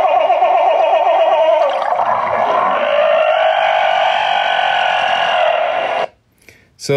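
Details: Humpback whales chatter in overlapping, wavering, gargly tones after a failed bubble-net feeding attempt, a chatter that could be read as an argument.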